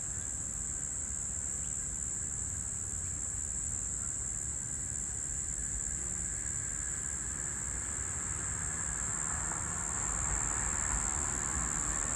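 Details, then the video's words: Brown Bunyip cicada, one or two males calling from a tree on 12 March 2023: a continuous, even, high-pitched buzzing drone without breaks, over a steady low rumble of background noise. "Brown Bunyip Cicada Calling"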